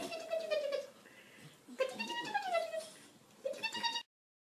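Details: French Bulldog giving drawn-out, tonal whining vocalizations: three rising-and-falling howl-like phrases with rich overtones, the middle one longest, separated by short pauses in a quiet indoor setting.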